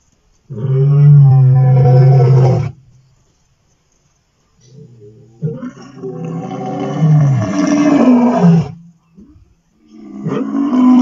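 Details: Vuyela male lions roaring on 1 November 2023: deep, drawn-out moaning roars lasting two to three seconds each, separated by short silent gaps, with a rougher, wavering roar in the middle and another starting at the end.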